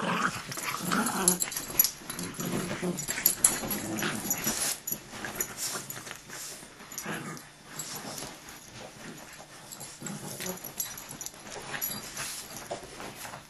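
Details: Fighting dogs growl in rapid, ragged pulses, harsh throaty rumbles crowding the first seconds, then softer grumbling and shuffling.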